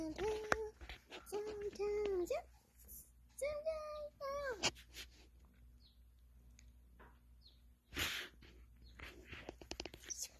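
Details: Capuchin monkey while eating a tomato, giving a run of tonal, whining calls, first steady and level, then a few higher arched ones, mixed with a person's speech and small bumps.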